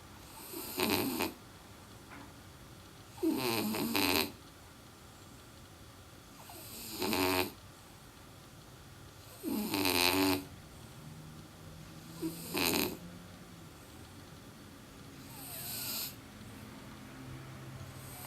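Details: Sleeping French Bulldog snoring heavily: broad raspy snores repeat about every three seconds, each roughly a second long, six in all, with quiet breathing between them.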